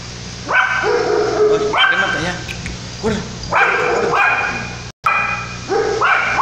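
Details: A Yorkshire Terrier puppy gives high, yappy barks, some drawn into whiny yelps, at uneven intervals during Tropical Storm Lidia in 2017 in La Paz, Baja California Sur, Mexico.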